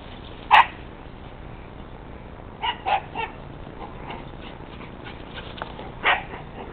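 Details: Brittany Spaniel and Chorkie, two pet dogs, in a friendly play fight; sharp yipping bursts near the start, a quick cluster of three short yaps midway, and one more bark at the end over steady low background hiss.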